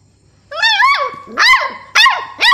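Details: Two-month-old Beagle puppy named Stella barking for the first time: four high, harmonic yelping barks, each rising then dropping in pitch, spaced about half a second apart, the first drawn out into a wavering whine, indoors with a low steady hum.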